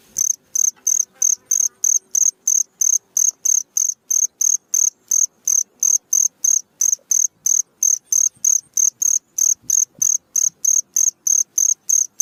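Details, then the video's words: Night-time cricket song used for teaching songbirds: a steady run of bright, high-pitched chirps, roughly three per second, loud and even throughout with a quiet background. "SUARA JANGKRIK MERDU Di Malam hari"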